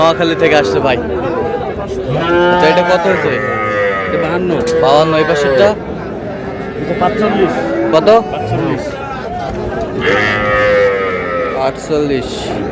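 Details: Sahiwal breed bull calves at a market in Bangladesh, 24 February, bought by a farmer from Noakhali; bellowing moos come in bursts roughly every few seconds over continuous speech and crowd noise.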